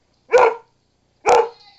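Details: Missy, a pet dog, barking loudly: two sharp harsh barks about a second apart, each short and rough, with a faint high whine trailing after the second, followed by a person's voice.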